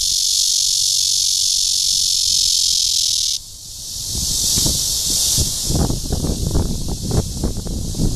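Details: Cryptotympana holsti cicada calling to attract a mate at Guangming Park, Yuanhua Road Section 2, Zhongli, Taiwan: a dense, steady high buzz for about three seconds, then it cuts out and rustling thumps and handling noise take over.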